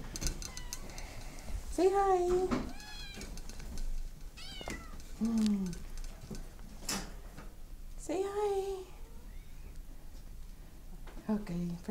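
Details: Maine Coon cat meowing indoors: several drawn-out meows spaced a few seconds apart, some rising then falling, between a person's encouraging talk and soft knocks.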